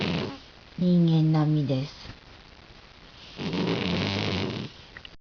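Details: Hack, a pet cat sleeping and snoring as loudly as a human; two long, low rumbling snores, the first harsh and buzzy with a wavering tone lasting about a second, the second broader and breathier, quiet pause between.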